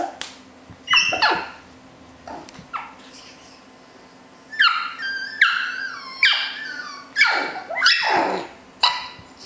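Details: Male Havanese puppies indoors give overlapping high, thin whines and sharp yelps, some held as steady squeaky tones, others sliding down quickly, in irregular bursts over several seconds, with a low steady hum in the room.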